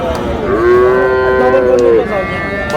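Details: Bull calf, Friesian or crossbred and about six to eight months old, at Raniganj haat on 10 August as trading winds down: one sustained, steady moo lasting about a second and a half, with faint market noise behind.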